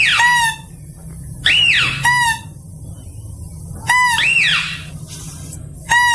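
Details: Mouse-deer sounds for attracting the animal: short tonal squeaks alternating with rising-and-falling arched squeals, each burst about a second or two apart, with a quiet low drone between calls.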